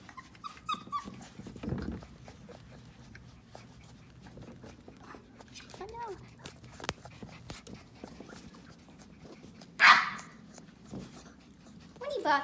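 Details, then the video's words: Four-week-old puppies whimper and cry in short squealing bursts, a thin rising whine near six seconds, a louder sharp cry around ten seconds and another at the close, over a quiet room with soft human talk. "TheTiny puppies are so loud"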